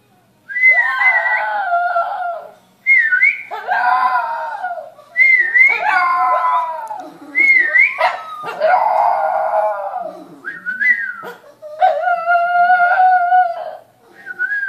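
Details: Shih Tzu howling early on a Saturday morning alongside a whistling man: long wavering howls with shifting pitch come in repeated bouts of about two seconds, separated by short pauses, mixed with clear higher whistled notes.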